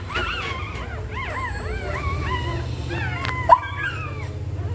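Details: Dog in labour preparing a nest before giving birth, uttering a string of thin arched whines and whimpers, some drawn out and wavering, above a constant low background hum.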